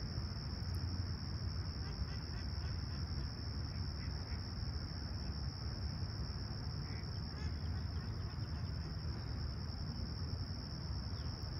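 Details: Crickets in Humber Bay Shores, Toronto, on a clear summer morning, July 28, 2020: one high, even trill carries on throughout, a few faint distant calls come and go, all over a heavy low rumble.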